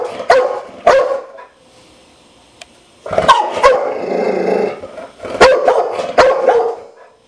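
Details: Two quick barks from a Dogo Argentino, a short pause, then a longer growly, rasping bark sequence followed by a few more sharp, harsh barks.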